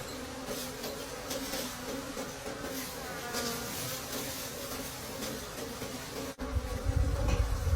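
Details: Late in the season, deep in the forest, wild bees buzz at a honey-filled nest: a sustained low hum with a faint overtone, then a sudden loud rumbling of handling noise for the last second or so.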